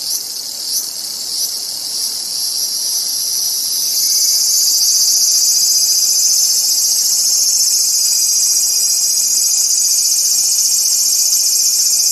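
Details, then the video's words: Cicada calling in a continuous, intense high buzz that swells louder after the first few seconds, with faint pulsing early on and a thin steady tone underneath. "som de cigarra"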